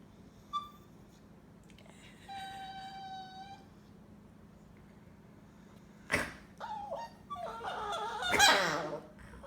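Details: When snorted at, a Chihuahua gives a brief squeak, then a steady, level whine of about a second, followed later by sharp snort-like bursts and short squeaky grumbles.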